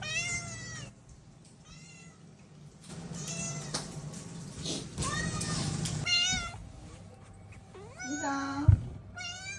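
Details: Chatty house cat Mii-san meows over and over: clear, bent, harmonic cries come about every second or two, some wavering and rising before falling, one higher squeaky call near the end, all over a low indoor hum.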